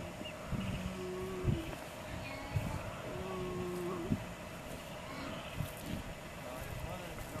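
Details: Sea lion pup alone on a beach in the Galapagos Islands in 1999, its mother away: two drawn-out, steady, low nasal bleats of about a second each, spaced roughly two seconds apart, with wind and people talking in the background.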